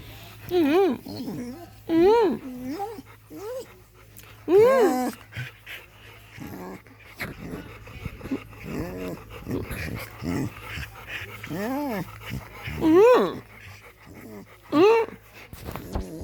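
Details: A 7-year-old female blue merle Australian Shepherd enjoying a back scratch gives drawn-out, wavering moans that rise and fall in pitch, repeated every second or two.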